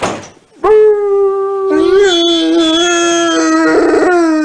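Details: Rottweiler giving a steady, drawn-out howl held at a nearly even pitch for almost four seconds, with a slight wobble midway, after a short noisy start.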